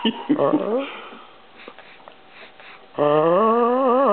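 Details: Chihuahua named Peanut attacking and arguing with the camera indoors: a short choppy grumble, a pause, then a sustained, wavering, harmonic-rich whine-howl with bending pitch over the final second.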